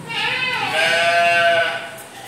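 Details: Goat kept among farm animals in a park at SDC Gading Serpong, Indonesia, letting out one long, wavering, nasal bleat lasting about two seconds that rises then slowly fades, with faint background hum.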